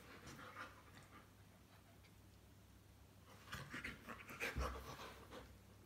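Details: Bearded Collies Mathilda and Gretchen at play, one breathing in quick, uneven pants, faint at first and then louder and denser in the second half, with a brief thud and soft whimper-like tones.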